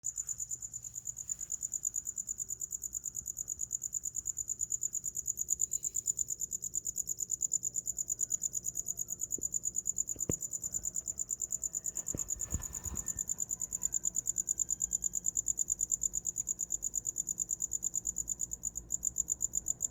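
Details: Cricket chirping steadily for sleep: a high, pulsed trill repeated about three times a second without pause, with a few faint low knocks and clicks near the middle.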